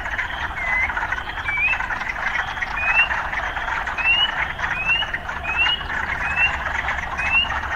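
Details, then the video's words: Chorus of urban frogs: a thick, continuous croaking wash, over which short rising chirp notes repeat roughly every second, evenly spaced through the stretch. "Urban Frogs"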